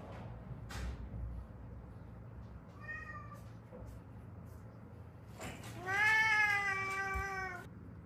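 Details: Rescued Haeundae street cat, one of a mother-daughter pair with healed fractures from a car accident; a brief quiet meow, then a long, loud, drawn-out meow held steady for almost two seconds, with faint clicks and low hum.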